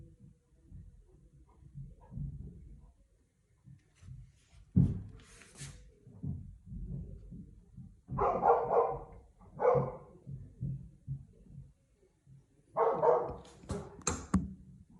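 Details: Big-brother Golden Retriever barking madly as the youngest dog enters the backyard swimming pool by itself, Cheongju; loose clusters of harsh barks with splashing and low background noise between them.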